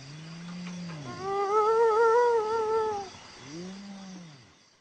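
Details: Hyena calling: a low rising-and-falling hoot, then a longer wavering tonal cry higher in pitch, followed by another low arching hoot, indoors-sounding with faint background hum.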